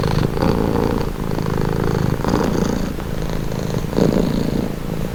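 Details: Relaxing purring from a domestic cat: a low, vibrating, buzzy rumble, louder on each breath with brief softer dips between, heard close up and without background noise.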